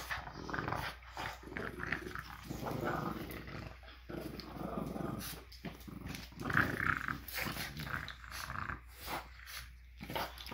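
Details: Two French Bulldogs playing tug-of-war after breakfast on a Monday morning: continuous rough, snorting play growls rising and falling, mixed with scuffling and clicking noises indoors.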